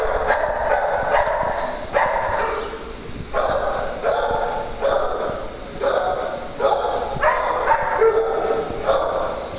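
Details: At a farm during playtime, a dog barks steadily, one harmonic bark roughly every second, each bark short and mid-pitched, with constant background noise.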